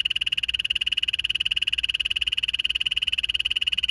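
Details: A captive poison dart frog, recorded at summer feeding time, gives a long, steady, high-pitched trill of rapid chirping pulses.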